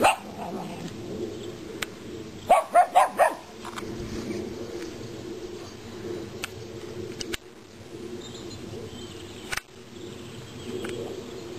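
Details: A mini dachshund that wants to play with a foal gives a quick burst of four short, sharp, mid-pitched barks over a low background murmur with scattered clicks and thumps.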